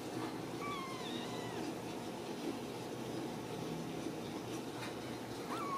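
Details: Ragdoll kittens raised in a home cattery in central Kansas, not caged: thin high mews sliding downward near the start, with another short rising mew at the end over steady room noise and faint clicks.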